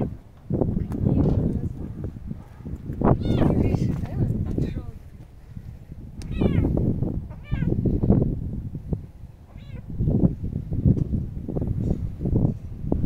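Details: Kitten outdoors on a windy day, giving several short, high meows with falling and wavering pitch, scattered among loud, low gusts of wind rumbling through the recording.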